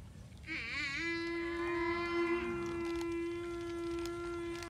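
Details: Young water buffalo calf calling for its mother with a single prolonged, nasal, tonal bawl that wobbles at first and then holds a steady pitch for about four seconds.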